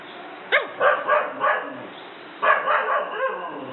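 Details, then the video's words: German Shepherd at home, frightened by a small toy dog, giving two bursts of sharp, rough barks, each opening with a loud bark followed by two or three quicker ones. "German Shepherd scared of toy"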